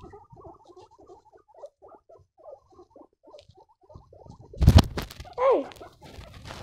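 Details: Squeaking baby guinea pigs: a run of soft, short squeaks in an uneven patter, then a loud thump and one clear whistled note sliding downward.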